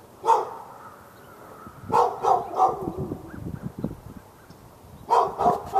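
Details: Continuous daytime barking from a fenced dog in Raleigh, North Carolina, aimed at the dog next door, February 15, 2012: a lone bark, then a rapid run of three, a low rumbling lull, and another burst of three barks.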